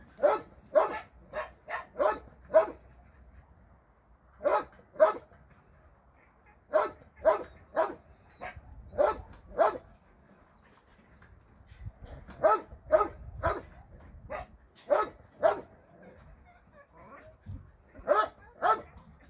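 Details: Barking from dogs at a shelter during a Sunday volunteer visit: clusters of sharp, loud barks separated by short silences, about two per second within each burst, irregular rhythm throughout.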